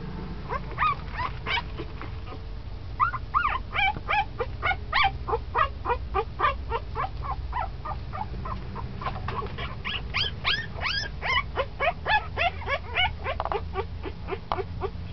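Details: Ten-day-old puppy, now moving around much more, squeals in rapid, uneven streams of sharp, high yips and squeaks, several per second, in bursts separated by short gaps, with low background rumble throughout.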